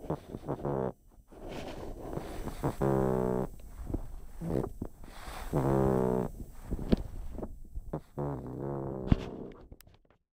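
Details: A pug asleep, snoring loudly: rough, low-pitched, drawn-out snores with rasping overtones, each about half a second to a second long, repeating roughly every two and a half seconds, with short sniffs and quiet gaps between.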